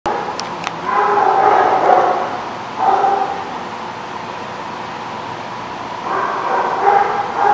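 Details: Dog recorded on 8/12/16 giving drawn-out, tonal barks and yelps in two main bouts with a pause between, over steady background hum.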